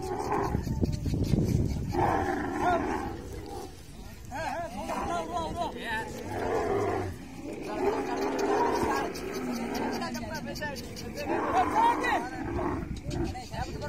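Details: Camel during mating, giving rough, rumbling, roar-like gurgles in uneven bursts of a second or two, with human voices mixed through the recording.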